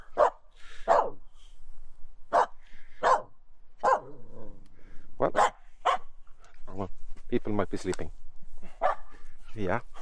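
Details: Finnish Spitz named Aamu, outdoors in falling wet snow after a walk sniffing out squirrels, having finally found one; loud, sharp barks repeat irregularly about every second or two, while a person talks over and between them.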